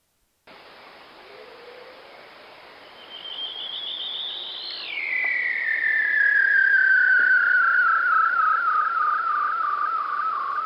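A bearded seal's underwater trill: a long warbling whistle that rises, then glides steadily downward with rapid wavering.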